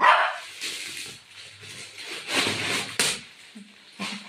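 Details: Golden Retriever dog playing at home and tearing plastic gives short barking bursts mixed with crackling, tearing noise, with a person's voice briefly in the background.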